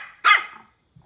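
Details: A single sharp, high-pitched yap from a Pomeranian puppy barking at a ball. It fades quickly into quiet.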